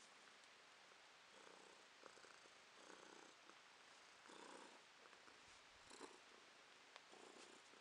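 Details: Domestic cat named Romashka purring as she sees her owner off, pleading to stay, 2023; soft, quiet purring in rhythmic swells about every second and a half, indoors with faint clicks and rustles.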